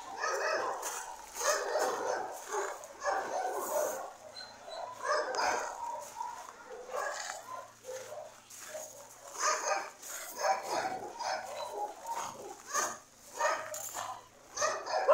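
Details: Dogs barking in a dense, near-continuous run of short harmonic yaps, bursts following one another over fifteen seconds with only brief pauses and some high noise above.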